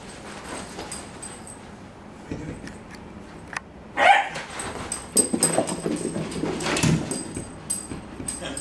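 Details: Whippet puppy being stirred up indoors, giving a few brief high whimpering yelps around the middle, then scattered scuffling and soft vocal noises against a quiet background.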